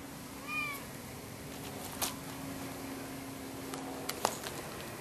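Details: Lucy, a 10-year-old orange cat who keeps pestering another cat, Sam, and won't go home, recorded 26 September 2011; one short bent meow early on, then faint clicks over steady room hiss.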